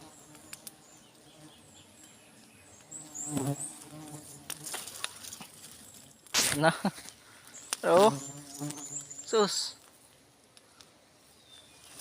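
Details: Honey bees at a hive during a honey harvest, giving a steady low humming buzz with louder, rougher buzzing bursts around the fourth, seventh, eighth and tenth seconds, then fading.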